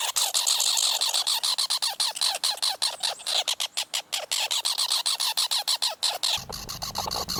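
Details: Rapid harsh chattering from a squirrel, rasping notes tumbling quickly in an even series, speeding slightly in the middle; a low hum joins near the end.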